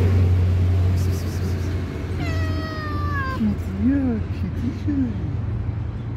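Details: Stray tuxedo mother cat, worried about her kitten while a tabby cat lurks nearby. One long, high, falling meow is followed by several short, lower, rising-and-falling chirping meows over a steady low engine hum.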